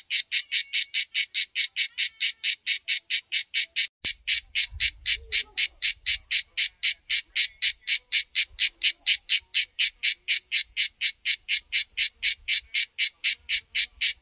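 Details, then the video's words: A cicada on a tree in a backyard sings a steady series of harsh, buzzy pulses, about three each second. "Appreciating the Hauntingly Beautiful Cicada Sounds"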